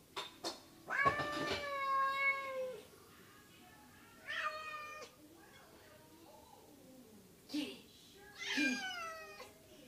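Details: Pet cat meowing indoors with a person talking nearby: a long falling meow, then shorter meows, separated by quiet gaps and broken by brief clicks and knocks.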